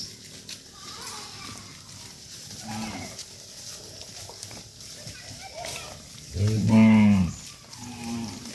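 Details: Dozens of tame cattle herded back to a farm pen; fainter lowing early on, then one loud, deep, harmonic moo under a second long near the end, with background farm noise.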